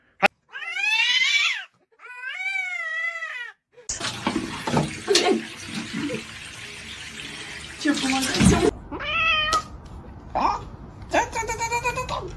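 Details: Kitten meowing: two harmonic, wavering meows in the first few seconds, then a long stretch of loud broadband noise, followed by several shorter, higher meows near the end.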